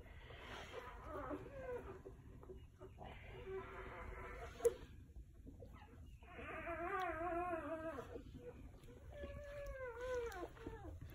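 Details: Newborn Golden Retriever puppies in a litter, one day old, resting under a heat lamp with their mother. They give thin, high squealing whines with bending, falling tones in short bursts near the start, middle and end, over a soft background hum.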